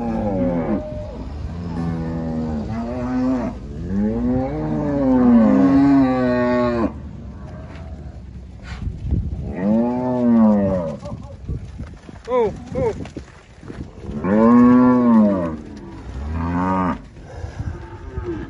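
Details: On a farm in Alagoas, Brazil, Angus cattle offered for sale low repeatedly: long arched moos, some rising and falling in pitch, with brief sharper calls between them and a steady background hum.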